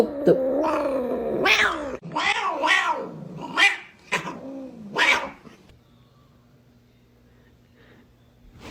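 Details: Domestic cat, annoyed, attacking its own tail indoors: a run of low, moaning yowls and growls with wavering pitch, five or six drawn-out rising-and-falling cries over about five seconds, then near silence.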